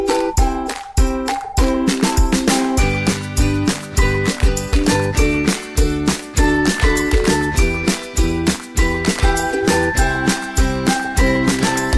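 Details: Upbeat jingling music plays throughout with no animal sounds. Steady rhythmic beats and tonal melody fill the whole passage.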